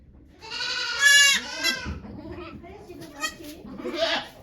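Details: Goat named Okayu at Yoshigake farm in Japan, giving birth to two kids on 3 May 2023 while volunteers watch: one loud, drawn-out harmonic bleat lasting about a second, followed by quieter rustling and soft human murmurs.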